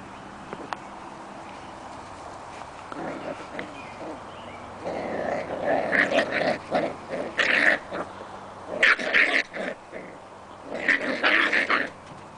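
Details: Six-week-old Scottish Terrier puppies playing in their pen outdoors: high squeaky yips and short barks mixed with low rumbling play growls, coming in bursts that grow louder in the second half, over a steady outdoor hiss.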